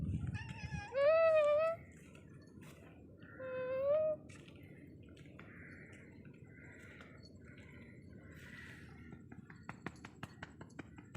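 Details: A friendly Ragdoll cat following its owner gives two clear meows, each rising slightly and then holding steady.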